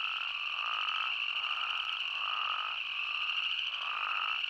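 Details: Chorus of spadefoot toads in Arizona: repeated nasal bleats, several callers overlapping in a steady rhythm, with a continuous high ringing hum running underneath throughout.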